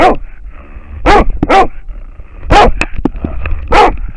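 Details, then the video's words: An American Foxhound barks at a wild boar, filmed by a camera strapped to the dog; strong, raspy barks, some doubled, about five in four seconds, amid clattering movement sounds and a faint electronic tone. "amerikankettukoira haukkuu villisikaa / American foxhound barking at a wild boar"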